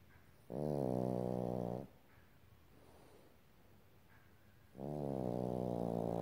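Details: Sleeping baby Boston terrier snoring: two drawn-out, buzzy, low rasping snores separated by a quiet breath of about three seconds in a small room.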